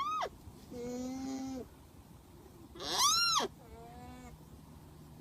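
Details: Alpaca calls: a shrill squeal that rises and falls, rich in overtones, set between lower, steady nasal tones each held about a second, over a faint hiss.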